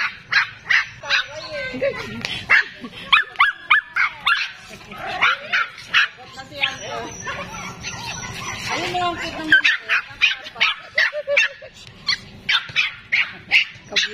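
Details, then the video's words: Pomeranian dogs barking nonstop: a long run of sharp, high yappy barks in quick bursts, with human speech mixed in during the middle. "Cute Pomeranian Dogs Can't Stop Barking"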